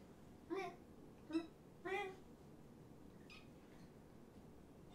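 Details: Kittens, one of five from two litters surrendered in Tacoma and taken in by Purrfect Pals, during a late-night visit indoors: three short, harmonic mews come in quick succession within two seconds, then a quiet stretch with a faint later call.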